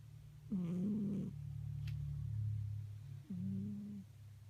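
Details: Sleeping pet cat Peeko snores indoors: two short, tonal, wheezy breaths about three seconds apart, riding over a steady deep rumbling purr-like drone.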